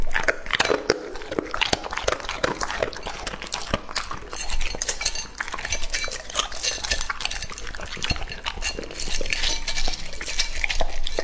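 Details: Lucky, a male English Labrador Retriever aged two and a half, devours raw meat; dense crunching and slurping with bright clicks and clatter of a bowl throughout, steady busy chewing.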